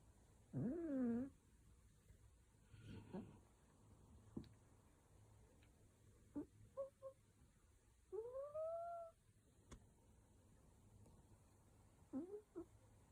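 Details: Cat making odd noises while being stroked: a few short chirps and trills, some rising then falling, spread across the clip in a quiet room, with faint rustling.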